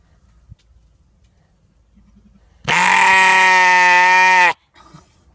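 A sheep gives one loud, drawn-out, nasal scream lasting nearly two seconds, steady and harsh.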